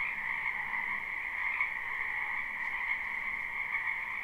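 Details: Spring wetland frog chorus, live recording without looping: countless overlapping croaks merge into a continuous buzzing drone, its intensity flickering gently, and a faint low hum sits underneath.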